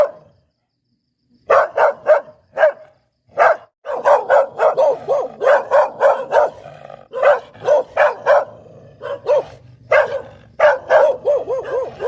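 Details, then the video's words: Long, nearly continuous stream of rapid yapping barks from a Poodle, a few spaced barks at first, then dense runs of quick barks about three per second. "เสียงหมาเห่า หมาพุดเดิ้ลแท้1000%"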